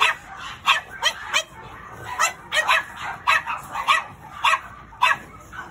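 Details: Black pug, its curled tail wagging as it walks, yapping in a quick run of short, sharp barks, about a dozen in six seconds, spaced unevenly with brief gaps between clusters.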